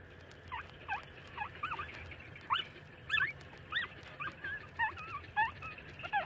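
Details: Puppies about 30 days old nursing from their mother: high, squeaky whimpers that bend up and down in pitch, repeated about every half second over a low steady hum.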